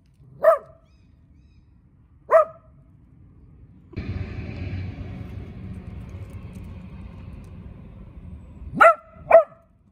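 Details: Barking at an approaching person, a puppy lazing in the sunshine gives two spaced single barks. A passing vehicle rumbles through the middle, then two more quick barks follow close together.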